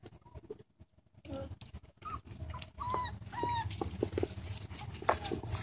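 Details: Great Dane puppies, 9/12/2014, whimper in thin, high squeals, some rising and falling, over a low background rumble.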